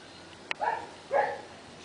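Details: A dog of the pair Loki and Titan lets out two short, mid-pitched barks about half a second apart, after a single sharp click.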